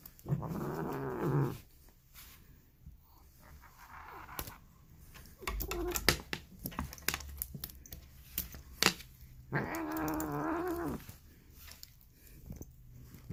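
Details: Indoors, a female polydactyl cat gives weird, grumpy noises described as Marge Simpson-like: two long, rough, growly yowls near the start and end, with clicks, rustling and handling sounds between them.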